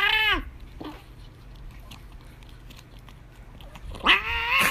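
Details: British Shorthair cat in Chaozhou, southern China, protesting after its owner took away its treat: the tail of one wail, a few quiet seconds with faint rustles, then a fresh loud rising complaint.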